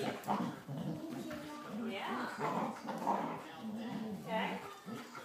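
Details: Springer Spaniel puppies, Sam and Lilly, play-fighting indoors; low rumbling growls and soft whimpers in short rolling bursts, with a person talking over them.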